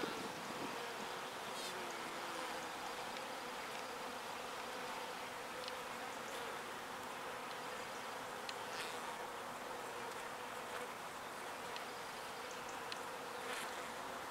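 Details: Little bees collecting pollen and flying it back to the hive: an unbroken, many-winged hum holding a steady pitch for the whole stretch, with occasional light ticking noises.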